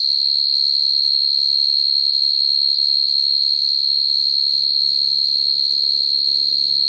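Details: Crickets calling naturally to attract females, a recording used for trapping crickets at night; one steady, unbroken, high-pitched ringing tone holds throughout, with a faint low hum underneath in the second half.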